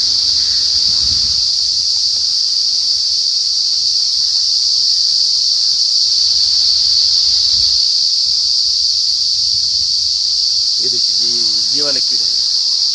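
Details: Many unidentified insects, possibly crickets, on a gulmohar tree beside an expressway hotel in Uttar Pradesh, India. They make a loud, unbroken, shrill high-pitched whine that holds steady throughout, with a brief voice near the end.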